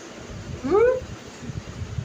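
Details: Domestic cat giving a single rising meow lasting about half a second, with clear stacked harmonics, while a woman talks to it in Bengali before and after in a quiet indoor setting.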